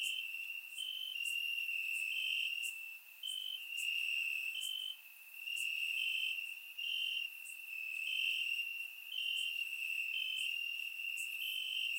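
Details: Nighttime chorus of crickets in Bulgarian grass on a warm summer night, surround-recorded: a continuous shrill trill with stronger bursts stepping up slightly in pitch, plus sharp high ticks scattered irregularly across the background.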